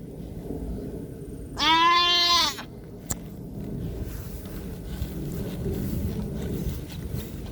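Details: Single loud, quavering goat bleat lasting about a second at a small farm where a young goat has disappeared, followed by steady low background noise and a faint click.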